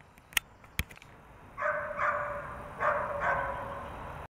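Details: English springer spaniel giving four short tonal barks or yelps in two close pairs over the last three seconds, after a few sharp clicks and taps at the start.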